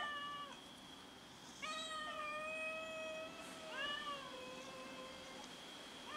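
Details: Several domestic cats meow as they fight over food, giving a run of long, wavering harmonic meows that overlap and follow one another almost without pause, over a faint constant high-pitched hum.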